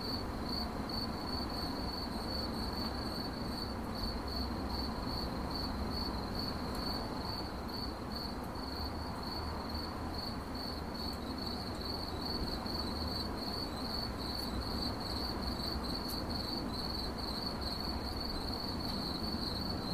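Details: Cricket chirping, a steady high-pitched trill of rapid pulses continuing without pause, over a constant low rumble of background noise.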